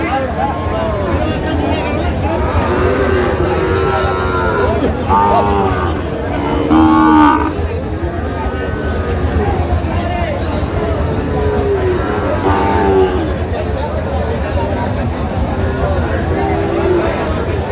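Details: Sahiwal cattle, bull calves about eight months old, at a Monday cattle market in Jashore, Bangladesh, dated 12/3/25; repeated low, arching moos rise and fall through the clip over constant crowd chatter and bargaining voices.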